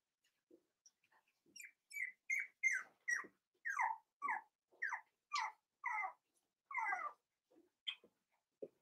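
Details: Five-week-old Cavalier King Charles Spaniel puppies from Daisy's litter in an indoor puppy pen give a steady series of high, descending yelping whines, roughly one every third of a second, fading into a few soft squeaks at the end.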